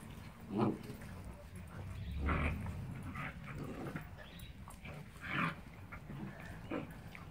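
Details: Play fight between a 9-week Rhodesian Ridgeback puppy and a 9-month Ridgeback; scattered short yelps and growly bursts about a second apart over a low rumble of scuffling.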